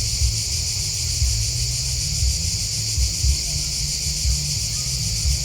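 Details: Many crickets chirp together in a shrill, evenly pulsing shimmer, with a muffled low beat recurring roughly every second below.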